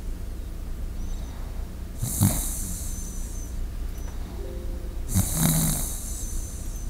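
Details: A sleeping Shiba Inu, recorded close to a microphone, breathes slowly with soft snoring breaths about every three seconds.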